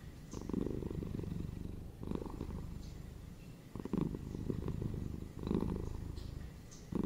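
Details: Domestic pet cat purring, a low steady rumble with fine rapid pulsing that swells into louder bursts about every two seconds, separated by softer quieter stretches; no other sounds stand out.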